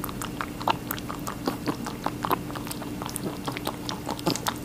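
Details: Rabbit chewing watermelon in a small room: quick moist nibbling and crunching, irregular soft clicks closely spaced, a low hum steady in the background.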